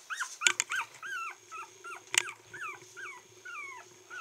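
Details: A 22-day-old female red Toy Poodle puppy, born 8 August 2014 and recorded 30 August in Kochi, Japan, gives thin, high whimpers that arch up and fall away, over and over.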